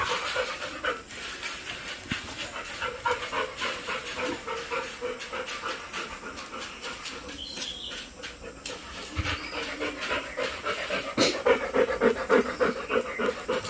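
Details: Labrador dog named Golden, a playful family pet that keeps up its antics all day, panting in a fast steady rhythm of about three breaths a second, breathy and hissing throughout.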